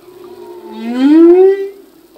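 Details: Humpback whale song unit, sung by a male: a loud smooth moan gliding upward and swelling in volume, then fading, over a quiet ocean background.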